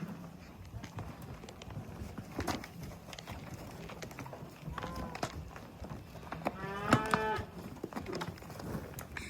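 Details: Cows at sunset, with hoof sounds around them. Two drawn-out, harmonic moos arrive midway: a shorter one, then a longer, louder low call. Outdoor background noise and scattered clatter fill the rest.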